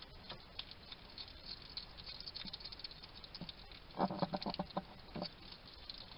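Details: A wild hedgehog eating at a Somerset garden feeding station, UK, quietly chatting to himself: scattered light clicks, then a loud run of rapid crunching chews at about four seconds and another burst just after five.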